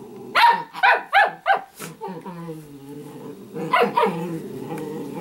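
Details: Sparkle, a playful Italian greyhound puppy, fires four rapid yapping barks, slides into a drawn-out wavering growl-moan, then yaps twice more over continued grumbling.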